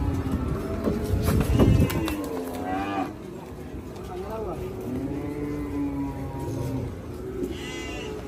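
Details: Cattle arriving by truck at Hazratpur haat market give low, steady moos over a busy crowd, with a loud thump early on and music in the background.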